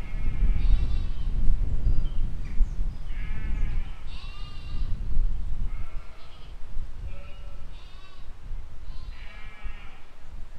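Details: Sheep and lambs out grazing in a spring 2020 field, calling back and forth in a busy run of bleats, shaky wavering baas at several pitches following closely on one another, with heavy low-frequency outdoor rumble.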